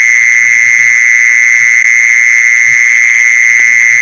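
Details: Mole cricket trill for luring other mole crickets: an even, piercing, continuous buzzing tone, steady in pitch and volume, with occasional faint low taps.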